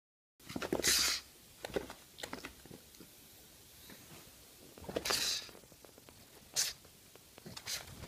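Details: A pug, startled by shoes, lets out sharp, explosive sneezes: three hissing bursts spread over about six seconds, with a quiet indoor room between them.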